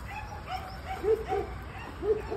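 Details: Domestic dog making thin, arching whines, short nasal notes repeated roughly every quarter second, fairly steady in pitch, over a quiet low hum.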